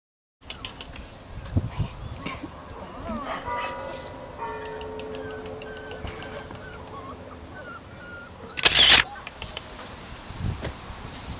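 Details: Seven-week-old female miniature wire-haired dachshund puppy Amelia protesting her first lead: drawn-out, tonal whines with layered harmonics rising and falling over several seconds, a sharp burst of noise near the end, voices faint in the background.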